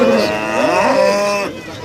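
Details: Cow at Pasar Paing Warujayeng cattle market, East Java, among Limousin-cross breeding cows. A loud, fairly high, sustained moo rich in harmonics holds steady for about one and a half seconds, then cuts off, with market noise underneath.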